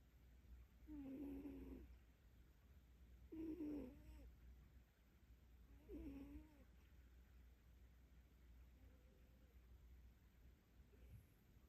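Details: Domestic cat snoring while asleep with its face pressed against its owner's leg: three soft nasal, buzzy snores about every two and a half seconds, then a fainter fourth breath, over quiet low room hum.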